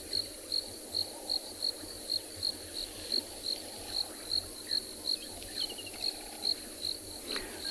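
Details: A cricket gives short, high, buzzy chirps about three times a second, steady throughout. Faint bird whistles, possibly barred owlet, woodland kingfisher or doves, and a low murmur sound behind it on a hot summer afternoon, 22 December 2020, at a South African game reserve.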